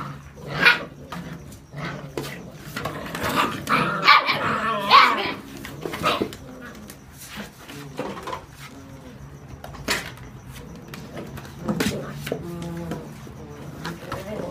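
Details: Seven-week-old whippet puppies playing with a new box indoors; scattered yips, small growls and whines among thumps and scrabbling of cardboard, a few harmonic squeaks around the middle, people talking softly in the background.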